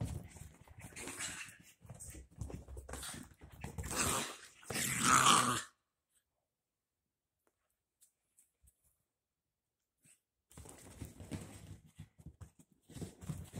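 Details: Freshly bathed dachshund puppies Ryker and Oliver at play inside, with several seconds of scuffling growls and a louder snarling burst, then a long silence before rustling play noises resume.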